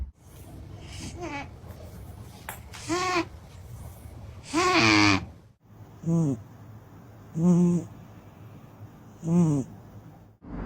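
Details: A sleeping pet cat snoring indoors: wheezy, harmonic snores with a nasal whistle, spaced roughly every one and a half to two seconds, over a steady low hum.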